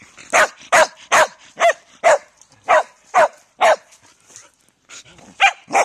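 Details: Loud Shetland Sheepdog giving a rapid run of around eleven sharp, ringing barks in quick succession, evenly paced at first, then a short pause before two final barks; a quiet room otherwise.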